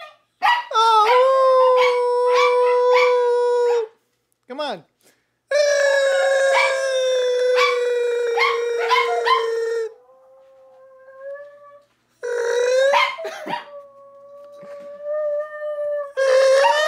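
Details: Pet dog Scooter howling after a person imitates noises by mouth, setting off other dogs: long sustained tonal howls lasting several seconds, slowly falling in pitch, broken by short gaps and quieter drawn-out notes.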